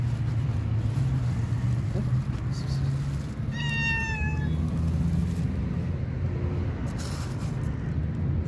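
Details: A shy stray cat waiting to be picked up utters a single drawn-out, gently falling meow, with a fainter second call, against constant low engine rumble.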